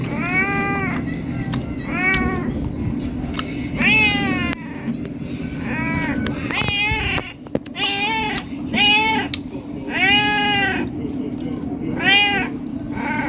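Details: Hungry cat asking to be fed: a long run of repeated meows, some short and some stretched, arched in pitch, over a steady low hum.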